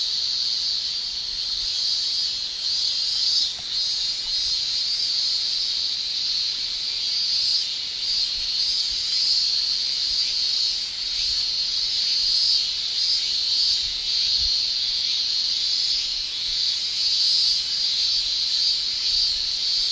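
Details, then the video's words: Chorus of male cicadas in Japanese summer, tymbal-made shrilling: a sustained high, hissing whine with small rapid ripples in brightness, continuous across the whole stretch, occasional faint low knocks beneath. "Japan Summer Cicada Shrilling"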